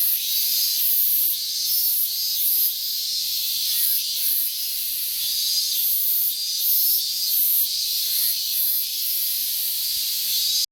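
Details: Minmin cicada on an August morning, 12 August 2019, in a season when calling began late; a loud, hissing high whine pulsing in bursts, continuous until an abrupt stop at the end.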